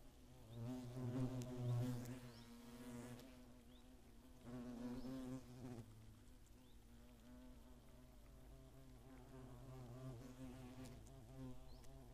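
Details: Attacking hornets in Germany's Eifel region during 2017 make a deep, continuous humming buzz that rises and falls in waves, loudest early on and then steadier.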